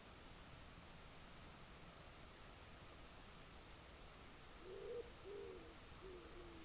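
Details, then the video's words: Suffolk garden, July 2022 trail-camera night: after a long hush, a fox gives three quick wavering whimpers, mid-pitched and bending, clustered near the end against a steady hiss. "lots of cute fox noises and a fox sneeze"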